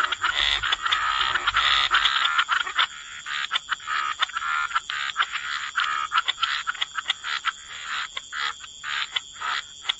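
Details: Croaking frogs at a wetland waterside, dense overlapping rasping calls at first, thinning into separate short croaks repeated roughly twice a second, over a constant high-pitched insect drone.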